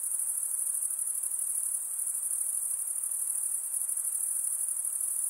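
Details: Insects at night produce a continuous shrill, shimmering buzz at a very high pitch, its fine pulses blending into one even drone, with a faint low hiss beneath.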